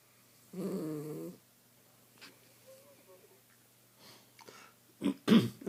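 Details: Sleeping miniature schnauzer Molly lets out one low buzzy snore near the start; afterward come soft scattered rustles and clicks, then a few sharper noises at the end.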